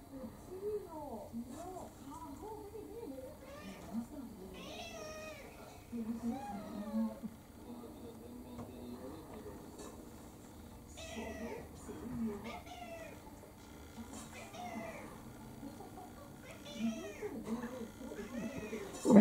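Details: Kurumi, a pet orange tabby mixed-breed cat about four years old, pesters for dinner indoors with a string of rising-and-falling meows, some short and some drawn out, spaced a few seconds apart while people talk in the background.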